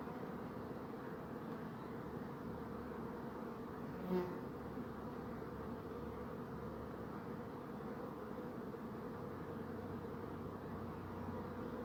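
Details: Honey bees drone in a steady low hum; a louder bee passes close near the four-second mark, its buzz briefly swelling with clear tonal layers before fading back into the swarm's murmur.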